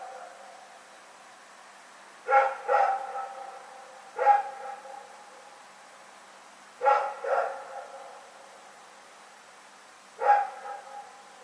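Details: Recorded 27 February 2018, Rex the dog barks into the night: a double bark, a lone bark, another double, then a final single bark, with quiet gaps of two to three seconds.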